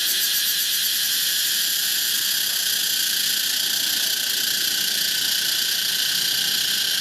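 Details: Cicada of the genus Pompania, a tropical insect: a loud, unbroken electric drone filling the high register, with a shimmering pulsed texture held steady for the whole seven seconds.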